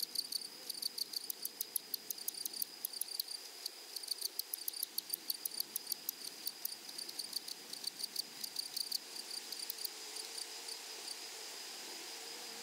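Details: Grasshoppers in a flowery prairie meadow tick rapidly in dense, dry pulses for about ten seconds, then fall silent, leaving only a steady thin, high hiss to the end.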